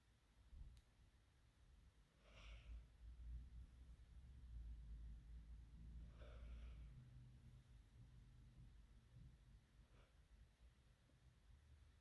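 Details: Sleeping cat snoring softly indoors, a low rumbling breath repeating in a loose rhythm, with faint snorting bursts around every four seconds in a small quiet room.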